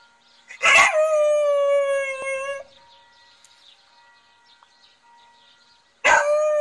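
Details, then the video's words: Border Collie singing: a long tonal howl starting high and settling into a steady, slightly wavering note lasting about two seconds, then quiet, then a second howl beginning at the end. "singing Border Collie"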